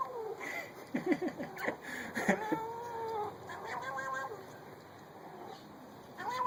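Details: Pet cat making strange sounds: a string of wavering, whining meows of changing pitch, some broken and chattering, over a busy background with faint music.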